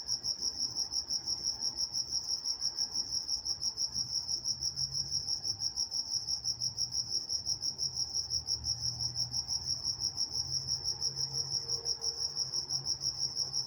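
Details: A cricket chorus recorded at night on August 23, 2023 in Walnut, California gives a high, bright chirping pulsed about three times a second, with faint low rumbling far beneath.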